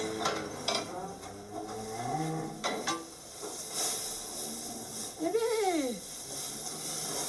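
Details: Salers calf on a Cantal dairy farm, a breed whose cows give milk only with their calf present; a single short, nasal bleat swells upward then sinks near the end, preceded by French talk and handling noises.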